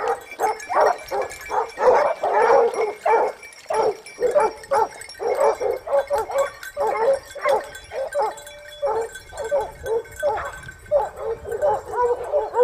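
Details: Hunting pack of Basset Hounds in Spain, second season out (2015-16), baying steadily in rapid, overlapping cries, several voices at once, with pulses coming more than once a second throughout.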